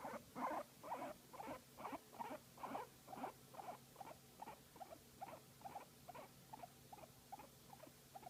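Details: While being massaged, a guinea pig gives a long even run of soft squeaky pulses, about two each second, strongest at the start and gently fading.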